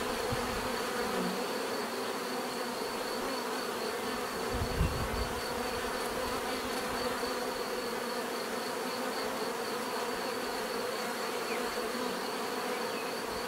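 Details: Bees buzzing in a steady, dense hum with a low drone and layered overtones, holding at an even level throughout, plus a faint thud near the middle.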